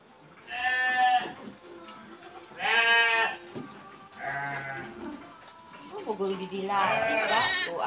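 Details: Black-headed F2 Dorper sheep from a breeding farm give four strong quavering bleats, the last rising high and strained, over soft music and low voices.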